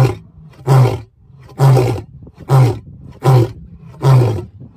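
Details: Lion (Panthera leo), roar.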